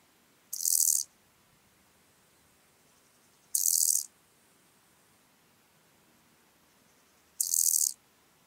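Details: Chorthippus albomarginatus in Elsbethen, Austria, 27 July 2019, gives three brief, high, hissing buzzes, each about half a second, spaced roughly three and a half seconds apart; otherwise near silence, recording noise-reduced.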